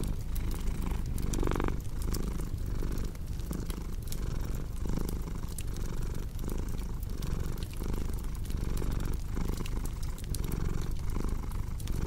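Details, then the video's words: Domestic cat purring steadily in a low, rumbling drone with rhythmic pulses of inhale and exhale, layered with crackling fireplace pops and snaps, made for relaxation and sleep. "Purring Cat with Cozy Crackling Fireplace Sound"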